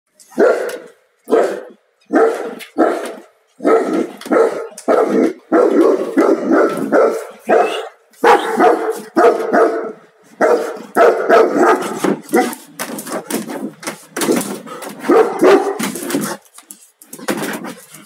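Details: A 3-year-old Tibetan Mastiff imported from Hong Kong barks loudly and repeatedly, each bark harsh and booming, often in quick doubles.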